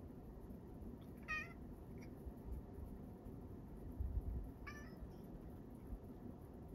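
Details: Male rescue cat Sacchan of Kazeno Kobo, on Setsubun morning in 2022, gives two short, faint meows about three seconds apart over a steady low room hum, with a brief soft thump between them.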